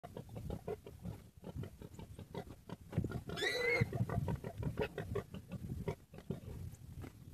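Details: Common warthog under attack by a pack of wild dogs: rough pig-like grunts and snorts in a dense, scuffling jumble, with one brief high, strained squeal midway amid continuous commotion.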